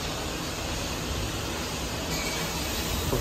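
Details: Dense, even roar of broadband noise like wind or machinery throughout, with no animal calls audible.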